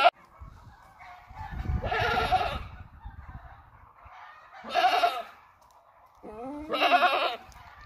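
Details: Cream-white breeding buck goat offered for sale in Buraydah. Three loud, rough bleats come at roughly two-second intervals, each wavering and lasting about a second. Low rumbling background noise is heard before the first.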